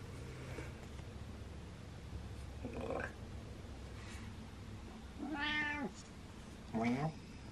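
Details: Attention-seeking male house cat makes three meows, short, then longer and wavering, then a brief final one, among a woman's speech and a low background hum.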